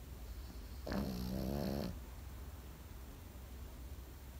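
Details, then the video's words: Sleeping Pekingese dog giving a single drawn-out snore of about one second: a low, buzzy, harmonic-rich rasp that rises slightly in pitch near its end, then quiet breathing against a soft background hum. "心地よい犬の寝息BGM ペキニーズ。 Comfortable Dog's sleeping sound pekingese."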